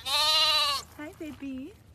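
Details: Baby lamb, a young female, giving one strong quavering bleat lasting under a second, followed by a woman's soft greeting voice.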